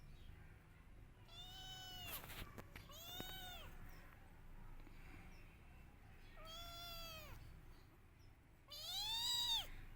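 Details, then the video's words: Kittens crying and meowing loudly for their mother: four drawn-out, arched meows with rich harmonics, spaced irregularly over ten seconds, the last one loudest, with a low background hum and a few clicks. "Cute Kittens Crying For Her Mother || Cute Cat baby Missing Her Mother"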